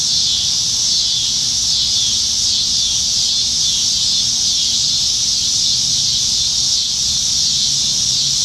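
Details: Abundant cicadas in the trees of Nebraska, dog days of summer, July 2019, evening: an intense, even, sizzling high drone with no breaks, slight waves in loudness, and quiet low-pitched background noise.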